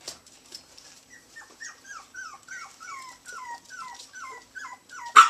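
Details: A clean series of high, downward-sliding whines and yelps from teacup Chihuahua puppies, three of them playing in Houston, Texas, repeated steadily about twice a second, ending in a sharp loud knock.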